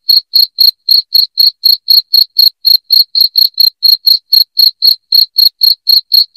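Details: Piercing cricket chirps for chasing away rats, sharp short notes repeated roughly four per second without a break, clean background.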